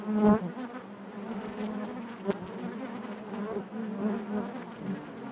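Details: Honey bees humming in their hive: a continuous low drone with rippling overtones, a loud close buzz at the start and a sharp tick midway.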